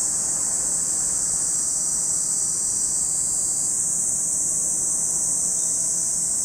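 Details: Steady high, hissing drone of cicadas at Lake Kamo, Sado City, Niigata Prefecture, Japan, holding constant throughout, its upper edge shifting slightly partway through, over a soft low hum.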